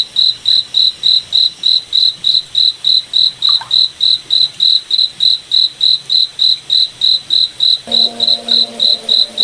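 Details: Moonlit forest at night with a cricket chirping steadily, a bright high pulse repeated roughly thirty times at an unbroken rhythm, while a faint low hum surfaces in the final second.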